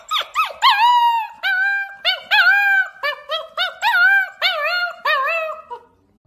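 A wolf gives a run of short, high, wavering howls and yips, each rising then sliding down.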